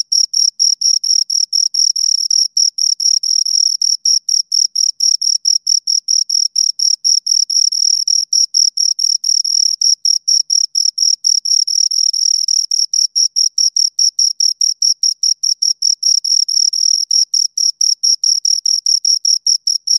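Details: Pair of crickets producing an unbroken train of shrill, evenly spaced chirps, fast pulses packed closely together over the whole stretch, bright and high with a faint upper overtone; no other sounds.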